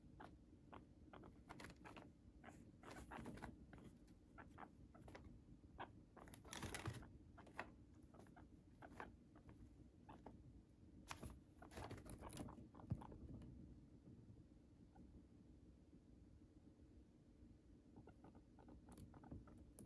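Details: A pet guinea pig (Cavia porcellus) chews Chinese cabbage stalks and leaves, with quick, crisp crunching bites in irregular bursts.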